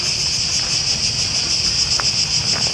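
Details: Very many cicadas in Athens, Greece, in early September, so loud they are deafening: a dense, shrill, unbroken buzz that holds steady throughout, with a brief faint click and low background rumble.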